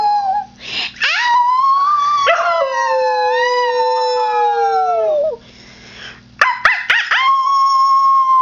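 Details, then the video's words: Max, a pet Husky mix, howls in a long, smooth tone that begins high and slowly slides lower over about three seconds, breaks off, then starts a fresh sustained howl near the end; a steady low hum runs underneath. "Husky Max Duet"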